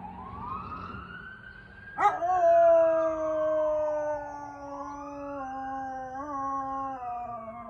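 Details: Dog howling in response to a police siren; a long sustained howl with a rich stack of tones, starting high then slowly falling, with a wavering siren sweep rising and falling behind it.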